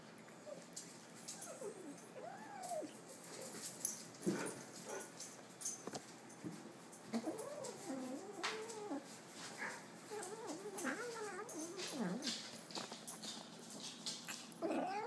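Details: Kitten growling over its food, with repeated short wavering moans and whiny rising-falling notes spread through the recording, among clicks, knocks and the rustle of eating.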